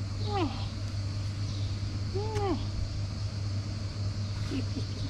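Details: Long-tailed female cat, hungry and asking for food and love, gives two clear descending meows about two seconds apart, each a smooth arched cry, against a low droning vehicle hum outdoors.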